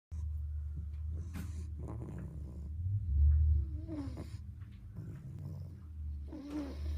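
An English Bulldog puppy snores with a deep, steady rumble, broken by a few faint snuffles.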